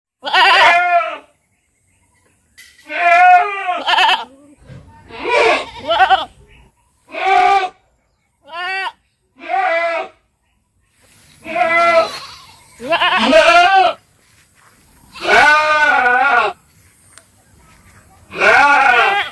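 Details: Goats in a farm compilation giving loud, wavering bleats, each a second or so long with a shaky, quavering pitch, about ten outbursts separated by short silences.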